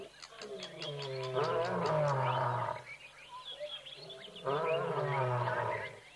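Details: Bored lions of Tembe letting out a few roars: two long, deep, harmonic moaning calls that slide downward in pitch, separated by a quiet pause, with faint high ticking sounds at the start.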